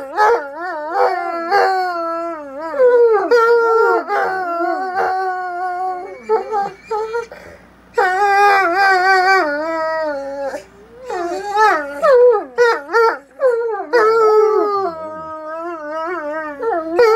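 Two Bloodhounds trade long, wavering howls and yips, their voices sliding up and down and overlapping.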